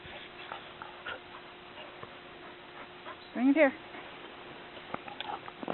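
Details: Border Collie mother with her last remaining pup during a ball play session in Cartwright, Manitoba, April 29: one short, high, wavering whine midway, amid a woman's speech urging a dog to bring the ball.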